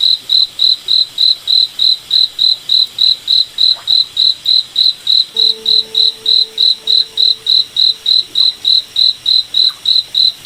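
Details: Cricket chirping at night in a moonlit forest: steady, high, pulsed chirps repeating about three to four times per second, with a faint low droning tone joining partway through.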